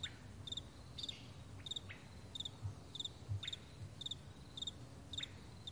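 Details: High, crisp cricket chirps from a morning meadow in May 2020, each a tight cluster of pulses, repeated at a regular half-second rhythm, with a few faint downward-sliding calls and low background rumble.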